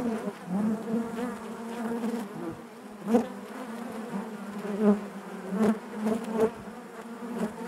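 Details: Natural hive buzzing of honey bees, an even low hum with harmonics, punctuated by short louder buzz bursts at roughly three, five, five and a half and six and a half seconds.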